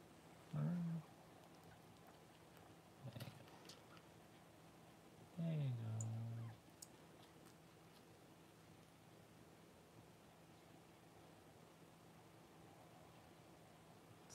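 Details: Cavalier King Charles Spaniel mother named Paris, whelping her first puppies indoors: three low, harmonic groaning moans, the first and last sliding downward and lasting about a second each, a brief muffled one between, separated by quiet room hush.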